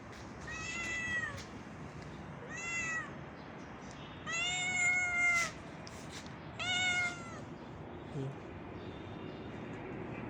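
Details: Pregnant homeless street cat in the street, wanting to play, gives four clear harmonic meows in about eight seconds, each bending down at the end, with light background noise and a brief human voice.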